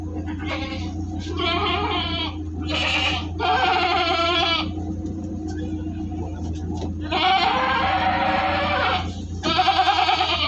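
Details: Jumbo goats on a delivery transport from Singosari, Malang, Indonesia, bleating loudly; long, quavering, nasal cries overlap in quick succession, some lasting over a second, above a constant deep vehicle hum.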